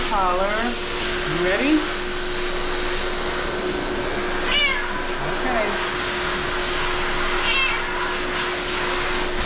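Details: Siamese cat meowing while being groomed indoors, giving several drawn-out, harmonic-rich meows, some rising then falling, spaced a few seconds apart over a steady mechanical hum from grooming equipment.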